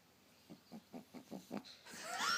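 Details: Female dog Lulu, said to snore even when awake, makes six short nasal snorts in quick, even succession, about five per second, followed by a burst of hissing noise.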